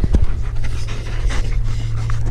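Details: German Shepherd dog chewing on its owner's arm, panting in rapid breathy bursts over a steady low hum, with quick soft rustles between breaths.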